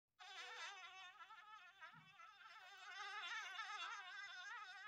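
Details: Bee buzzing in a continuous droning hum, its pitch wavering slightly up and down for nearly five seconds, loudening a little toward the end; no other clear sounds.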